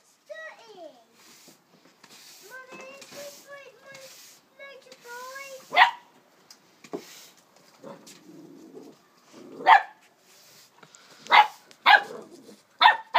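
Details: A 12-week-old female Springer Spaniel puppy indoors gives several high, wavering whines that rise then fall, then breaks into sharp, spaced barks; a person talks softly in the background.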